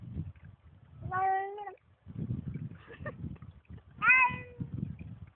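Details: Pet Bengal cat outdoors in a forest giving two drawn-out, strained meows about three seconds apart. The first is steady and the second bends upward then falls, with rustling and soft low thumps between calls.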